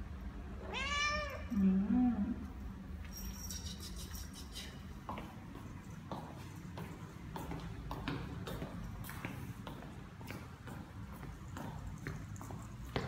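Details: Neutered seven-month-old Ragdoll cat named Ao roaming a quiet, newly opened Korean apartment complex on an outdoor walk; one loud, arching meow rising then falling, followed by soft low murmuring and scattered sharp clicks over a constant low hum.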